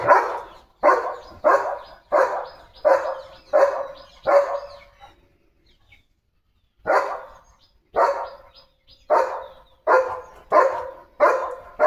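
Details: Leo, a pet German Shepherd, barking indoors before the unboxing of a sealed parcel bought for his health: loud, harsh barks in quick runs of about six, a pause of near two seconds, then another run.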